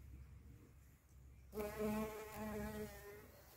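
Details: Shrill carder bee buzzing: after a second and a half of quiet, a sudden loud droning hum begins with a low steady fundamental and a stack of even overtones, wavering slightly in pitch and fading a little toward the end.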